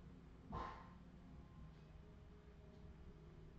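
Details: Australian Terrier puppies, 2018: a single short, sharp yip about half a second in, then quiet room hum with a few faint distant squeaks.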